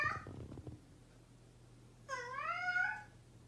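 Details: Cat meowing in a room: a brief scratchy vocal fragment opens, then after a pause one long, bright meow that climbs slightly and holds for about a second.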